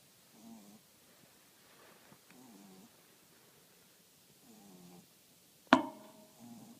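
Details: French Bulldog snoring in a series of soft, low, buzzing breaths repeating every one to two seconds, broken once by a sharp click.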